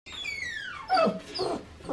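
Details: Great Dane puppy, six weeks old, before its first bath, giving a long high whine that slides steadily downward, followed by a brighter yelp and softer whimpers.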